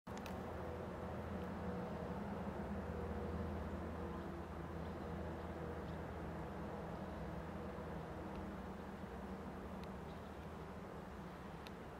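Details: A steady low rumble of distant traffic or machinery fills the recording, with no clear animal voice.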